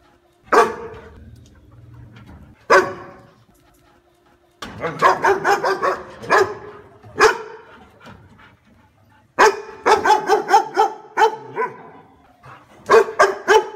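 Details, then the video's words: Dog barks: two isolated sharp barks, then fast volleys of harsh barks coming in tight runs, with short silences between runs. "Tiếng chó sủa"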